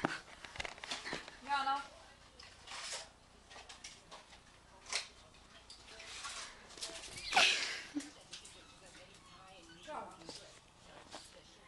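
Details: A 4-month-old female Yorkshire Terrier puppy, playing and barking at the camera, gives short, high, sharp barks spaced a second or two apart.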